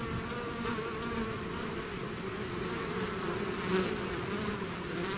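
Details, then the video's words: Swarm of bees leaving the hive: a steady, even wall of buzzing with faint rising and falling whines of single bees passing nearby. "bees therapy swarm natural buzzing sound"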